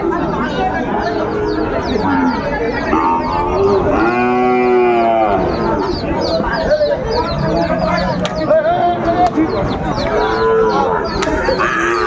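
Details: Sahiwal bull calves on sale, bought by a farmer from Dhaka, Bangladesh, on 20 December 2024; one long, low, rich moo at about four seconds stands out over steady crowd chatter and bargaining voices, with fainter lowing elsewhere.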